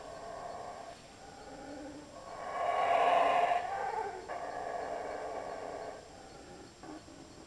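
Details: Jungle monkeys in Belmopan, Belize, recorded in 2006 as they pass through: a low, steady roar builds to a loud, harsh peak at about three seconds, then continues as a sustained, rasping drone.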